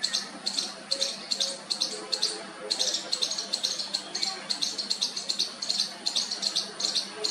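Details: Young squirrel calling to its mother for the first time, giving a steady stream of thin, raspy squeaks repeated roughly two and a half times a second, with short pauses between bursts and a quiet background.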